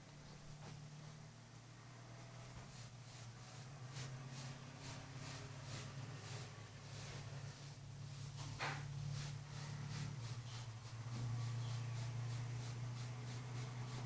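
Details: Loud, close purring from a female Kurilian Bobtail waking its owner each morning on the bed, a strong low drone that swells after the midpoint, with regular breathy pulses and a few rustling sounds.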